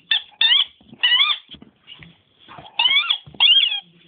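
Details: Nemo, a pet dog, squeaking instead of barking indoors: five bursts of high, whistly, wavering squeaks with bright overtones, each about a quarter second long, spaced unevenly with short gaps of quiet between them.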